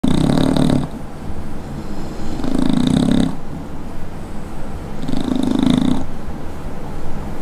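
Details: American Bully pocket dog, male, asleep and snoring loudly: deep rumbling snores in long rasping breaths about every two and a half seconds, with a buzzy low drone between them.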